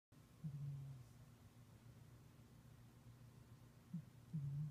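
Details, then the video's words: Moo, a pet cat, snoring loudly while asleep indoors; low rumbling breaths near 150 on a steady hum, a short snore early, another at about four seconds, and a longer one at the end. "Moo snoring (not a growl- he's just loud.)"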